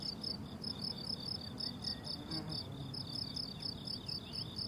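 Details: Crickets calling on a blooming summer meadow: rapid high chirps in short bursts stack into a steady shimmering chorus, with a faint thin whistle drifting in midway and a soft low murmur behind.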